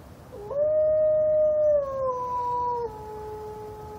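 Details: Captive wolf at Brookfield Zoo during a howling war: one smooth, sustained howl that rises briefly, holds a steady pitch, then steps down lower and fades over about two and a half seconds.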